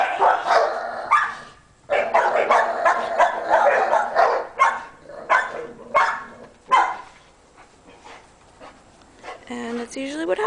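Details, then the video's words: Dogs barking on May 7th at about 6:15 in the afternoon, after almost two hours of noise; loud, irregular bursts of barking mixed with a man talking, ending in a few higher yelping cries. "crazy dogs"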